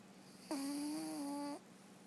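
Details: Scout, a sleeping rescue cat living at a sanctuary, snoring: one steady whistling, nasal tone lasting about a second, level in pitch with faint overtones, over a low constant room hum.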